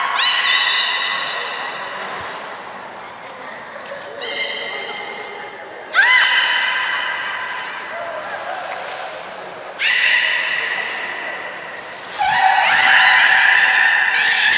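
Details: Beluga named Nana during a training session at Port of Nagoya Public Aquarium, 13 April 2019: a series of stacked, steady, nasal tonal calls, some rising briefly at onset, separated by pauses, with brief thin high whistle tones between them.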